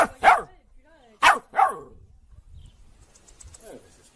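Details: Domestic dog barking: three sharp, harsh barks in under two seconds, the last two close together, followed by a quiet stretch with faint background noise.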